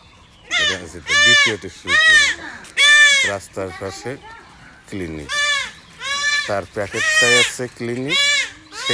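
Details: Young male goats being castrated with a knife cry out in strained, wavering bleats that rise and fall. About one call a second comes in clustered runs, with people speaking over and between them.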